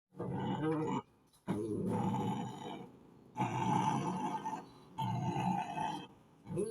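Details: Puppy growling in rough, rumbling bursts of about one to one and a half seconds each, separated by brief pauses, with steady low harshness throughout.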